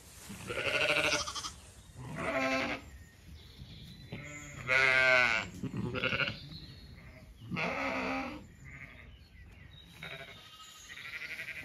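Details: Zwartbles sheep in a flowering orchard on a County Kilkenny farm in Ireland at evening; a handful of wavering bleats, some quite high, spaced a second or two apart, with a faint steady high tone in the background.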